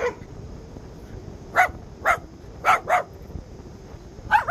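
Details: Lhasa Apso; bark; guarding the house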